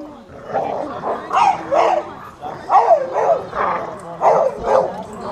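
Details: Dog competing in a POWERDOG tug of war (rope-holding) event, barking in a run of loud, harsh, clipped barks roughly every half to one second, with crowd voices murmuring underneath.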